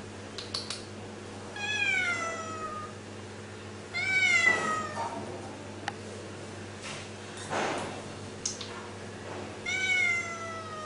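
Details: Friendly stray female cat that came to a house, meowing often: three drawn-out, rising-then-falling harmonic meows spaced a few seconds apart, with a faint steady hum and a few soft clicks between them.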